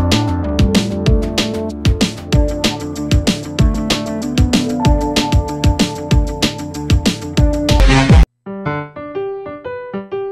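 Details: Piano-led instrumental music with steady keyboard chords and bright electronic accents, briefly cutting to silence before a softer melodic phrase resumes; no animal voice is heard.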